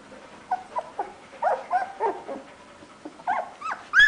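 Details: Labrador Retriever puppy Safir, 17 days old, one of a litter indoors, whimpering because it cannot find its family: a run of short, high, wavering whines and yelps, some rising and falling, with a sharper squeal at the end.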